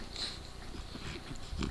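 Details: A female French Bulldog, about 7 years old, gives a quick run of low, throaty snorts and grunts indoors.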